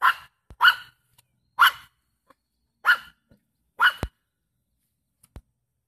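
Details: A feist dog gives sharp, repeated treeing barks, about one per second, at a fox squirrel treed in the morning.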